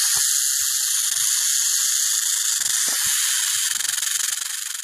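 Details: Western diamondback rattlesnake shaking its rattle in a sustained, sizzling high buzz that pulses slightly and fades a little toward the end, with scattered faint low knocks.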